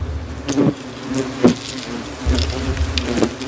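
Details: Several hundred hornets swarm an old tree during removal of their nest, attacking the person taking it out; the colony had returned to the same tree after two years. Low, steady droning buzz with scattered knocks and brief louder bursts.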